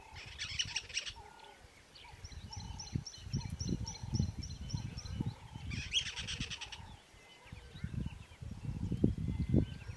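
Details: A squirrel in Kruger National Park, South Africa, on the way to Pafuri in September 2023, gives harsh, rapid rattling bursts of alarm, with birds calling softly behind.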